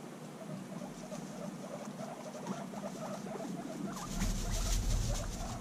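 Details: Guinea pigs bonding intensely after six months apart make dense, fast pattering rumbles mixed with squeaky chirps, which swell louder and rougher toward the end with added rustling.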